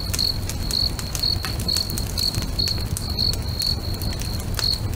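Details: Sunset by a lake: crickets give clear, high chirps about twice a second, with small gaps in the rhythm, as a bonfire crackles loudly and a low rumble runs underneath.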